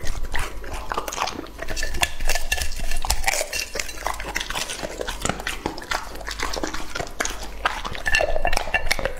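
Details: Close chewing by Lucky, a two-and-a-half-year-old male English-type Labrador Retriever eating raw meat. Crisp biting and wet smacks come in quick irregular bursts, with a slight dip in loudness near three seconds.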